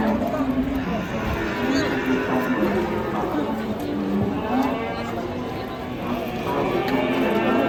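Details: Fat cattle giving repeated low moos, short and droning, partly buried under dense background noise and music throughout.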